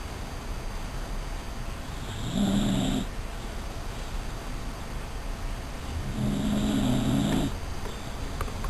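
A Dachshund snores in low, rasping breaths that swell about every four seconds.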